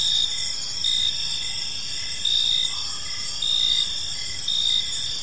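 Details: Crickets chirping in a peaceful park as evening unfolds, a dense high-pitched trill with pulses swelling roughly once a second over steady insect hum and faint low rumble.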